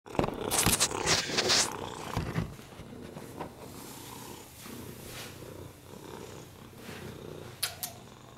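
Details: Oliver, a rescued domestic cat with a broken hip, URIs and FIV, purring on a lap indoors; loud rustling handling noises open the clip, then a steady low rumbling purr continues with occasional soft clicks.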